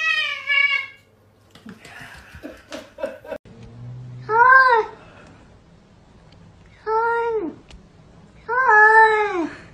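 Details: Domestic cat meowing indoors, three clear arched meows spaced a couple of seconds apart, each rising then falling in pitch, after a short earlier cry and some clattering noises.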